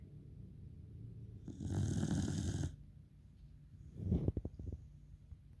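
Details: Pembroke Welsh Corgi snoring while asleep: a long, rough, rumbling inhaled snore lasting about a second, a pause, then a shorter, fluttering snort with rapid pulses.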